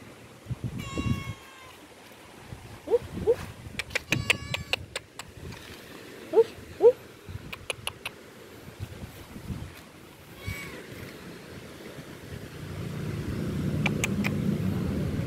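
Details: Hungry stray cat being fed outdoors, giving several short rising meows around the three- and seven-second marks, with clicking and rustling, passing traffic rumble and a low noisy stretch at the end.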